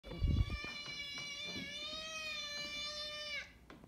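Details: Pet cat named Bunsen letting out a long meow, not near the door and without looking at anyone: a single sustained, drawn-out tonal cry lasting about three seconds, steady in pitch and dropping at the end, after a brief thump.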